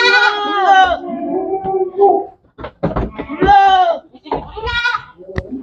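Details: Bleating goats at a goat farm: a long wavering harmonic bleat, then shorter bleats, mixed with clatter and brief noisy sounds in between.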